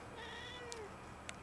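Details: House cat meowing indoors while arguing with its owner: a drawn-out, harmonic meow that slides gently downward and fades, with a couple of faint clicks; a person had just said no.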